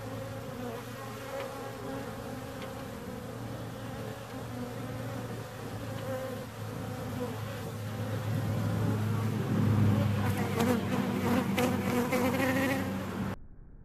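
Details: Bees humming in a steady drone over a strong low hum, growing louder and rougher after the midpoint with crackling bursts, then cutting off abruptly at the end.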